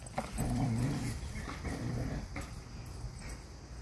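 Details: A Norwegian elkhound, described as a good boy, growling low and rumbly while playing frisbee with a man; a continuous throaty growl with short breaks, and a man's voice encouraging it.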